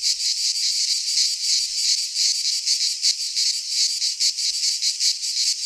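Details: Cicada chorus from a pine forest in Greece in midsummer, an intense high metallic drone swelling and fading in fast pulses, with no other creatures heard.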